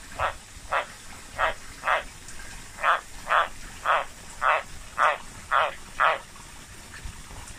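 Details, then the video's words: Captive White's tree frogs, just moved into a new enclosure, giving a string of eleven short rasping croaks, each a clipped burst repeated roughly every half second with a brief pause midway, over faint background hiss. "White's tree frog"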